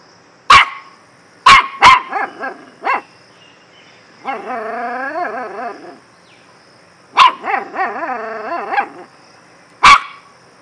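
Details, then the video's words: Dog barks mixed with whining: several sharp barks, a long wavering whine-like howl, more quick barks trailing into a whining series, and a last loud bark. "DOG BARKING || BEST BARKING STYLE"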